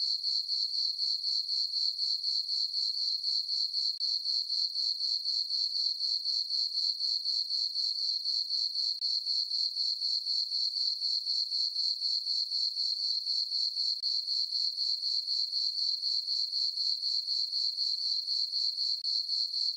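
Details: Nighttime chorus of crickets in a meadow on a farm under the full moon in summer: shrill, even chirps repeating about four per second without pause, clean and uninterrupted.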